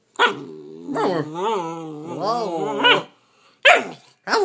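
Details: Bernese Mountain Dog puppy, nine weeks old, talking while being cuddled indoors: long wavering whiny howl-like moans rising and falling in pitch over two seconds, followed by short sharp bark-like yips.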